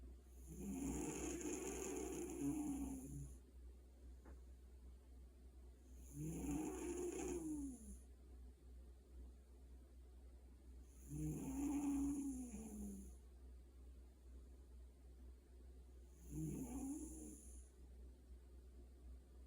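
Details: Sleeping pet cat at home snoring: four drawn-out, raspy breaths with a hissy edge, each lasting two to three seconds and returning roughly every five seconds, with a steady low hum underneath.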